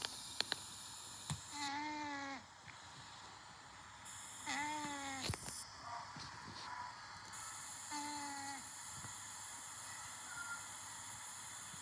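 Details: Pet cat snoring while asleep; three nasal, whistly tones, each lasting under a second, come about every three seconds in a slow breathing rhythm, with faint clicks in a quiet room.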